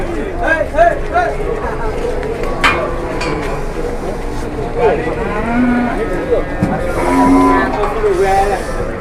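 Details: Cattle at an Indonesian farm, a cow that collapsed suddenly and then turned aggressive: several low harmonic moos, some rising and wavering, over a busy background of voices and clatter.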